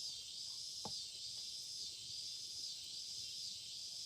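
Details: Cicadas of the hot season, heard outdoors in the evening, fill the air with a steady, high-pitched hissing buzz that never lets up.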